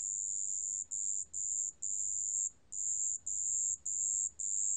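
A marsh bell cricket gives very high, pure ringing trills in short bursts separated by brief pauses.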